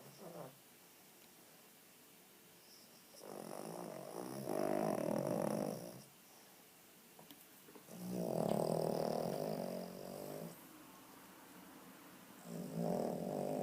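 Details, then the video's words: A small, overweight female Cavalier King Charles Spaniel snoring while asleep with her eyes open: long rasping breaths about two seconds each, separated by quiet pauses, with a faint high hiss in the background. "Mon chien ronfle les yeux ouvert"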